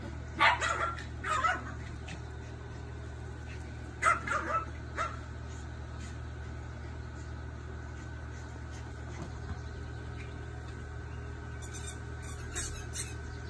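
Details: A Papillon and a Pomeranian dog at play: short, high yapping barks in small clusters near the start, another pair around four seconds, and a final burst near the end, over a steady low hum.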